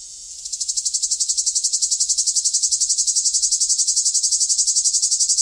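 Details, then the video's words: Summer cicadas give a loud, high, rasping buzz, pulsing rapidly and evenly without a break. "Cicada sound, cicada sounds, summer cicada sound, Sounds of the cicada"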